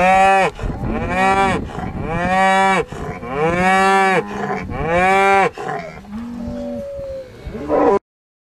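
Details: Bull on a farm on the Welsh Borders, with its farmer, bellowing a run of drawn-out, deep, harmonic-rich moos in quick succession, each lasting one to two seconds with brief gaps, ending with a shorter lowing call.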